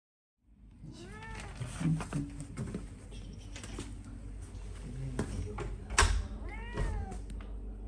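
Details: Domestic cats meowing in a compilation of popular cat clips from January 2022, with clear rising-then-falling harmonic meows near the start and again toward the end, amid background thumps, knocks and a soft voice.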